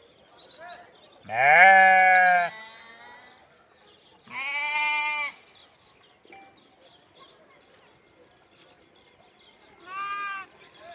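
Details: Sheep and lambs bleating: three separate wavering, nasal bleats, the first long and loud, the second shorter, the last softer, spaced by quiet gaps of a few seconds.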